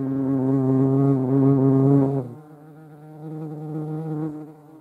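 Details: European hornet (Vespa crabro) filmed in the Eifel, Germany: a loud, deep wing hum that drops abruptly after two seconds into a quieter, steadier buzz with rich harmonic layers.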